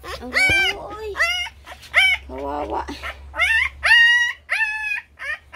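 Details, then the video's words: Puppies crying loudly while competing for attention, around their first bathing day; shrill, harmonic-rich whines that rise and then drop, repeated roughly every second in bursts, with low mains hum beneath. "MGA TUTA KAAGAW PANSIN ANG MALAKAS NA IYAKAN."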